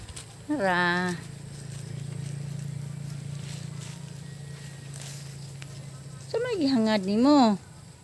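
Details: Goats fed in the evening give two drawn-out, quavering bleats, one near the start and a longer wavering one near the end. A steady low hum runs underneath throughout.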